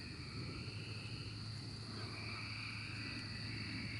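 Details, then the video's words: Chorus of cicadas in the 2024 emergence, an unbroken layered buzzing: a piercing high tone over a wavering lower drone, with a deep steady hum underneath throughout. "Cicada Emergence 2024"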